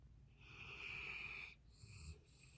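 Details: Golden Retriever snoring: a soft, wheezy, whistling breath holding steady for about a second, then a shorter, airy follow-up breath, recorded quietly indoors.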